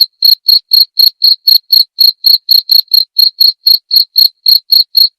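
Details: Continuous shrill chirping from a cricket, prepared as masteran for songbirds and for therapy, with crisp pulses spaced about a quarter second apart and a clean, quiet background.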